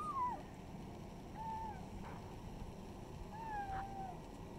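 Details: Village kittens meowing outdoors: three thin, wavering mews, the first falling, the others level and drawn out, set against a constant low rumble of wind or engine noise.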